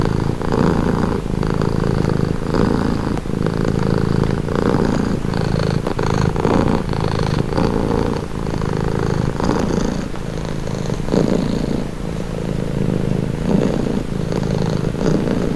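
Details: Domestic cat purring steadily, presented as a calming, relaxing sound; low rumbling pulses in rhythmic breathing cycles, each inhale and exhale phase lasting about a second, continuous with no other sounds.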